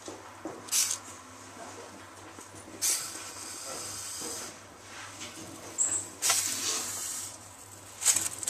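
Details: Captive little male western hognose snake, refusing his weekly pinky and bluffing a defensive attack in a 'hissy fit': short, sharp, breathy hiss bursts every two to three seconds over a quiet background hum.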